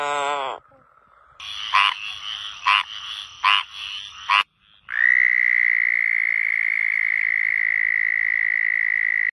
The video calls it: suara suara katak